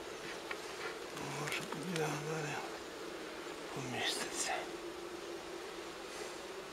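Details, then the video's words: Wild honey bee colony in Ukraine, taken from a nest low on a fallen forest tree into a hive. An even, low hum of many bees sits under a man's Russian speech. "Wild Honey Bee Nest Transferration From Forest Into Hive & Apiary"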